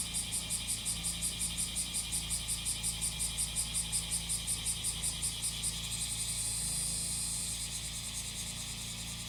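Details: Cicadas singing over the steady drone of a grass-cutting machine's engine: a high, rapidly pulsing buzz of about three to four pulses a second for six seconds, then merging into a continuous hiss.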